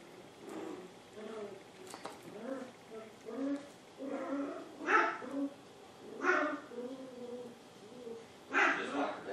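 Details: Two 7-week-old Poodle puppies, Honey with a honey-coloured coat and Emma with black highlights, healthy and energetic; sharp broadband barks burst out near five, six and nearly nine seconds among softer whines, with human voices talking throughout.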